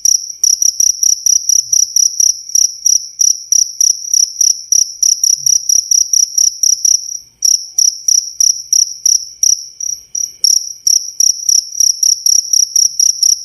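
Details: Cricket chirping for songbird tutoring, very clear: rapid trilled bursts at a high pitch with a faint upper overtone, repeated almost without break, one short gap midway; no other sounds.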